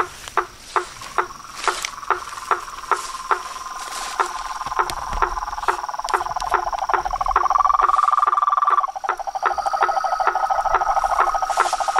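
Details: Frogs and toads in chorus, evenly spaced short knocking calls joined by layered sustained trills that swell, break off briefly and resume, with a faint high steady hum.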